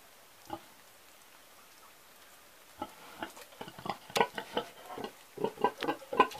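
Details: An old pig, mostly quiet at first with one soft grunt, then a run of short, rough grunts from about three seconds on, coming in irregular bursts and growing louder toward the end.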